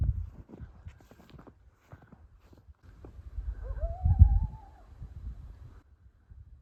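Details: Coyotes heard close by on a snowy, stormy mountain evening near dusk while cows are gathered into a corral; one gives a single rising howl that levels off into a drawn-out tone over low rumbling noise, possibly warning off from their territory.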